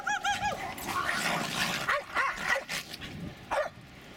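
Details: Yips from Jasper and Jaclyn, pet Jack Russell Terriers at play in snow in a suburban St. Louis backyard, February 24, 2016: high arched yelps open, then rough barks and a sharp closing yelp.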